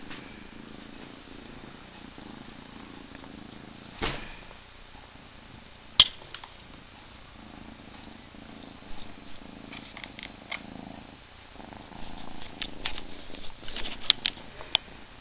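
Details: A domestic cat purrs with a soft, low, rumbling pulse that runs continuously. Occasional faint clicks and small handling noises sit over the top, and the purr grows somewhat busier toward the end.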